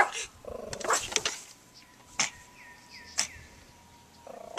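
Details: Pet dog barking at a lawnmower: a quick cluster of sharp, harsh barks early on, then isolated single barks spaced about a second apart, over a steady tonal hum and a short run of repeated high chirps.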